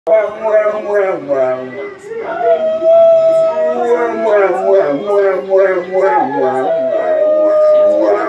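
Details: Two female Cane Corsos and a third dog howl in long, deep, wavering tones, answering a siren; they howl whenever they hear a siren.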